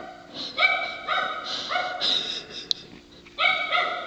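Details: Female dog barking in a hoarse, honking way likened to a sea lion, recorded in the dark; a few harmonic barks in short bursts with gaps between them.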